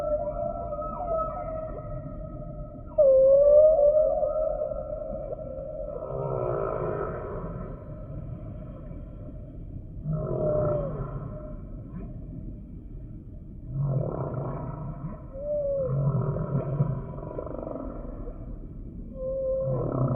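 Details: Humpback whale singing: a sliding high whistle dips and recovers, followed by repeated groaning units with rough low pulses every few seconds, each mixing buzzy moans and short upward swoops.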